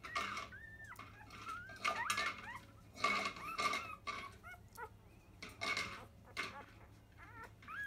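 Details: Nursing five-day-old Labrador Retriever puppies, field line, born to biscuit, during a 10 a.m. feed: short rising and falling squeals scattered among loud clicks, rustles and suckling noises.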